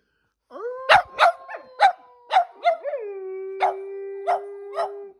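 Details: Two pet dogs, Percy the black and white Boston Terrier and Bear the German Shepherd-Black Lab mix, answer a human howl. A steady tone holds beneath a quick run of yelping, bark-like bursts, then fades after a final long note.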